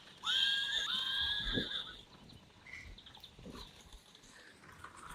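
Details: Friesian horse, one of the mares Rising Star or Reintje posing as photo models, gives a short tonal neigh lasting about a second and a half, its steady harmonics ending abruptly, followed by faint rustling and quiet background noise.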